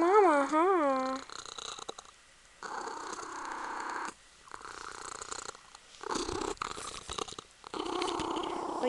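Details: Punkin, a female Ragdoll kitten cuddling her owner, purrs in long rough breathy phases. A woman's voice opens with a short rising sing-song phrase before the steady purring takes over.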